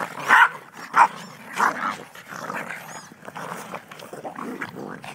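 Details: Yorkshire Terriers from a household pack of six (mother, father, three daughters, one son), filmed on a very old camera on 21 January 2011; three sharp yappy barks about every 0.6 seconds, then rough low growling and scuffling.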